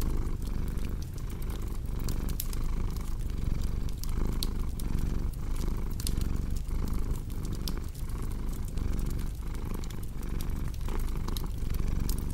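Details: Low, buzzing cat purr repeating in regular breath cycles under a bed of crackling fire pops and faint snaps.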